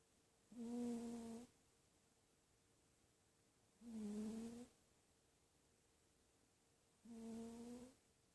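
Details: Sleeping dachshunds snore in a quiet room, giving three droning, slightly tonal snores of under a second each, spaced evenly about every three seconds, with near silence between breaths.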